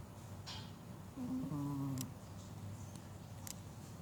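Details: A sleeping Chihuahua snoring: one drawn-out, steady humming snore lasting under a second, with faint clicks before and after in a quiet indoor room.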